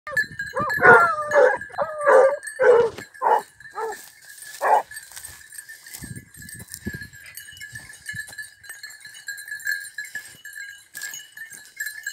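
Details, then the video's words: Basset hound and beagle during hare hunting training in Cyprus, giving loud wavering bays and howls in a rapid burst over the first five seconds, then fading to scattered faint yelps over a steady high whine and insect-like hiss. "ΕΚΠΑΙΔΕΥΤΙΚΟ ΛΑΓΟΥ ΚΥΠΡΟΣ No 33 BASSET HOUND AND BEAGLE"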